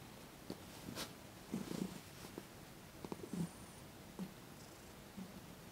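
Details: Thomas, a domestic cat receiving his first massage in December 2021, purrs softly beneath frequent rustling and handling noises, short thumps and brushing sounds scattered across the recording.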